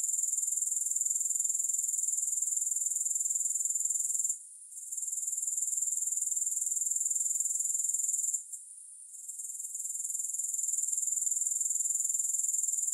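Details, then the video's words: Steady, shrill, finely pulsed insect trill from grasshoppers, no music, holding constant except for two brief lulls near the middle and two-thirds mark before resuming at full volume. "Grass Hopper Sounds"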